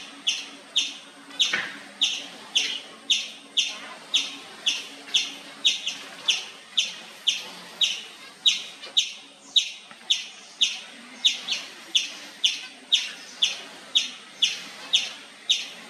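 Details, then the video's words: Indian palm squirrel calling nonstop with loud, high, clipped chirps, about two per second in a long steady series, each note sharp at the start and trailing off quickly. "Nonstop Loud Squirrel Chirping sound"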